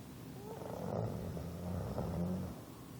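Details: English bulldog snoring: a low, rough rumble held through most of the breath, swelling slightly around the middle and again near the end, with no other clear sounds.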